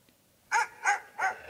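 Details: Siberian Husky vocalizing during a dog-app session: three short, tonal, arched "woo"-like yelps in quick succession, about a third of a second apart, with a person speaking just before and after.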